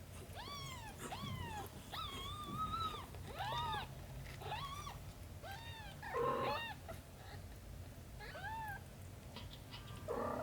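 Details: Domestic cats, with Shin the cat caring for aunt Camel's kittens: a rapid series of about nine short, arched, harmonic meows, several rising then falling. They come about one per second over a low background rumble, with a rougher, noisier cry near the end.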